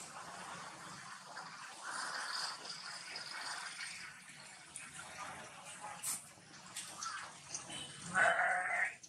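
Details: Four-horned Jacob sheep letting out one short, wavering bleat near the end, after a stretch of soft background murmur and rustling.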